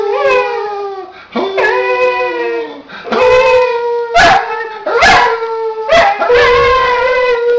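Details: A dog howls together with a person: long, drawn-out, wavering tones that slide and overlap. The howls are broken by short loud yips and breaths every second or two.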